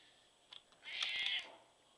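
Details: Sassy, a black pet cat who lived to 17 years, gives a single bright, slightly raspy high meow lasting about half a second, preceded by a couple of faint clicks, in an otherwise quiet setting.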